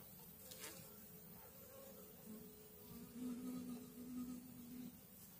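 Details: Swarming honey bees on two hive frames, May 2022, produce a low droning hum with a steadier, slightly higher buzz tone holding through the second half, plus a soft knock early on.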